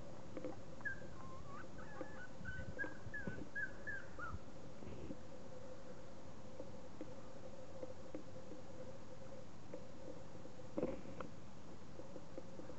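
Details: Young puppies, 40 days old, give a short run of thin wavering whimpers and squeaks during the first few seconds, followed by near-silence with a constant low hum and a faint knock.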